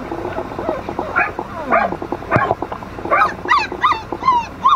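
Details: Sibling Flat-coated Retriever puppies whimper and squeal. The thin, drawn-out whines rise and bend downward, mixed with clipped yips that grow higher and more insistent toward the end.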